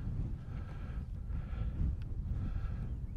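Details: Steady low rumble of wind buffeting the microphone outdoors, with no animal sounds.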